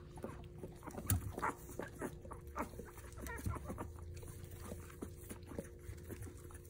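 Basset Hound puppies give short, soft whimpers and yelps at irregular intervals over a low hum.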